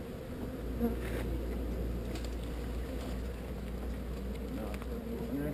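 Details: Honey bee swarm being relocated from an undesired location: a dense, steady low buzzing hum that holds evenly throughout, with a few faint knocks near the start.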